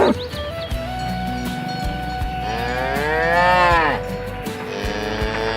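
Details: Herd of cows driven to the farm pen through a rice field ditch; one long, swelling moo rising and falling in pitch midway, with a constant low drone and faint clatter behind it.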